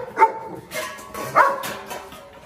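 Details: Presa Canario dogs from a group with rivals Xiuluo, Xuanfeng and Shandian give two sharp, ringing barks about a second apart, with softer muffled sounds between them and faint music underneath.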